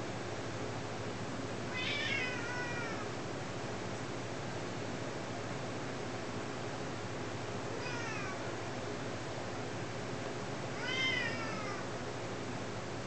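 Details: Pet cat, two years old, meowing while playing with its owners: three drawn-out meows near 2, 8 and 11 seconds, each with a rising then falling harmonic stack, over a steady hiss of background noise.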